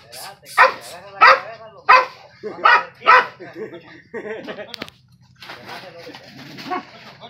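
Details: Dog facing off with a skunk gives five loud, ringing barks in quick succession, then quieter rough noise and scuffling as the barking stops.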